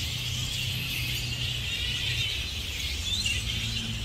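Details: A roosting colony of grey-headed flying foxes outside Adelaide Zoo, South Australia, in May 2023: a steady wash of shrill, high squeals and chittering, with one sharper rising squeak standing out, over a low rumble like distant traffic.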